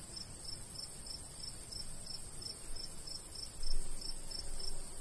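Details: Crickets in a summer countryside wheat field, short bright chirps repeated steadily about every third of a second, over a soft low rumble of light breeze.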